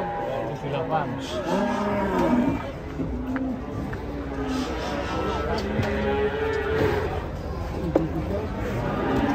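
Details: Giant cow, agitated and rampaging as it comes down off a truck one morning, frightening visitors; low drawn-out moos rise above a steady babble of people talking and shouting nearby.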